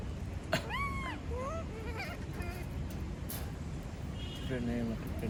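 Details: Female monkey screaming after being left alone: a loud arched, rising-then-falling shriek, followed by shorter wavering cries and a brief low squeal near the end over steady background noise.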